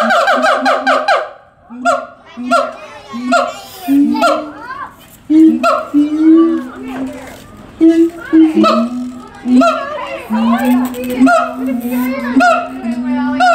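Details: Siamangs "caroling" at the Tulsa Zoo on 21 December 2017: rhythmic harmonic barks repeated roughly every half second, interspersed with rising swoops and a low steady booming tone underneath.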